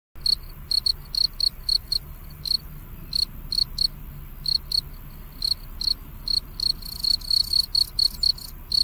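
A cricket gives short, high, trilled chirps, repeated two or three times a second.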